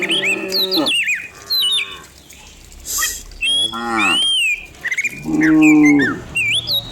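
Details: Dozens of cows come down a hill in the morning, driven along in rural surroundings. Short, scattered moos separated by quieter gaps, with busy whistled and trilling birdsong running throughout.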